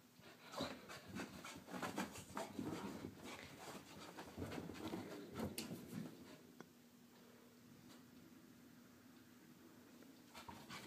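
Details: Morning exercise for Harley, a Wheaten Terrier, whose fast rasping pants and faint whimpery notes fill the first six seconds before fading to a quieter hum and sparse clicks.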